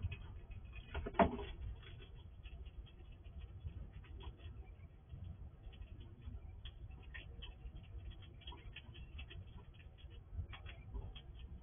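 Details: A wild squirrel eats all the food quickly from a drawer feeder at a house at night, with soft crunching and scattered gnawing clicks over a low background hum.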